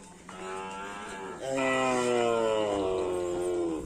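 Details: Racing bull of the karapan sapi bull-race tradition gives a long, loud moo lasting about three and a half seconds, a strained harmonic-rich call that steps up in strength halfway through and then slowly falls in pitch.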